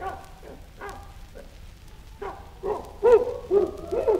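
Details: Chimpanzee giving soft, low, breathy grunts that grow louder and more tonal, turning into rising hoot-like calls packed closer together toward the end.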